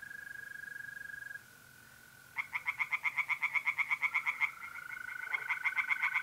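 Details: Tree frogs in a North-East Italian pond on a mid-April night: bursts of quick, regular raspy pulses alternating with pauses, set against the sustained whistling trill of mole crickets.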